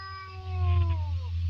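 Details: Two domestic cats fighting: one drawn-out, tonal yowl with rich harmonics, holding steady then sliding gently downward over about a second, set against a loud low rumbling hum.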